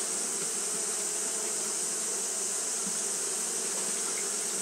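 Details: A steady, low, humming buzz from Japanese honey bees fanning on a hot day, with a bright hiss running behind it and a single faint short chirp near the end.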